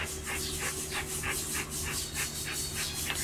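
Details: Alaskan Malamute Luoluo panting steadily after trying to get its owner out of bed, quick breathy huffs repeating well over once a second, with a faint low hum behind.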